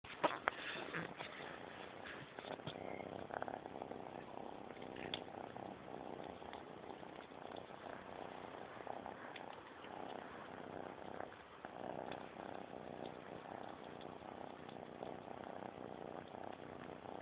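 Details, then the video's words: Serenity, an 11-week-old kitten, purrs steadily while eating tiger pate food beside a person indoors; a soft continuous rumbling purr runs throughout, with small eating clicks and smacks. "Serenity purrs while eating"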